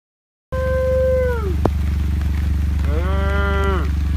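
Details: Baby heifer separated from her herd on a ranch, being moved back: two drawn-out bawling moos, the first level then falling, the second rising then holding and dropping, over a steady low droning hum.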